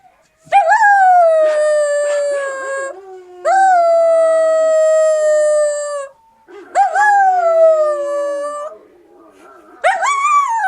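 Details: Siberian Husky puppy howling: four long, smooth, clear howls of two to three seconds each, every one starting with a quick upward swoop and then holding steady or sliding gently down, with brief pauses between them.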